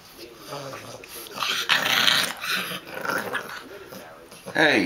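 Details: Bulldog puppy at play indoors, producing rough growls and snorting grumbles in uneven bursts, with a person's voice and hand contact noises mixed in.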